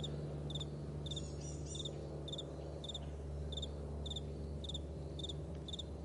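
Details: Crickets in a vast meadow in the morning, evenly spaced bright chirps with brief higher scratchy bursts near the start, low background hum throughout.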